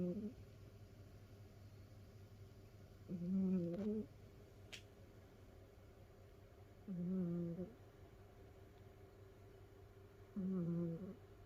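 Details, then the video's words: Sleeping domestic cat snoring indoors in a multi-cat household huddled in a cat pile, with Mimi sleeping on despite the peeping by her ear. Three nasal, whistling snore bursts about every three and a half seconds over a steady low room hum. "だーれだ？猫のいびき who?snoring cat."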